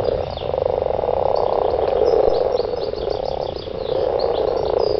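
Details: Mating garden frogs give a loud, continuous croaking rattle from many voices at once, with faint twittering high notes in the background.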